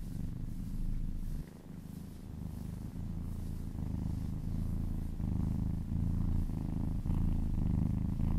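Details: Kitten purring while massaged, deep rhythmic pulsing rumble with audible breath cycles, pausing briefly early on, then steady and strong.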